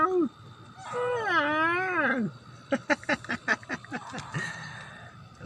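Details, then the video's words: Domestic cat giving a long, loud arched meow that rises then falls, followed by a quick series of about seven short, clipped calls and a brief closing cry. "Cat Funny Meowing Sounds"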